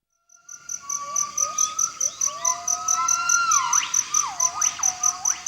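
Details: Gibbons singing loudly to proclaim their territory and keep other troops away: whistled notes rising in pitch and speeding into looping, swooping cries, over a steady, rapidly pulsing high insect tone.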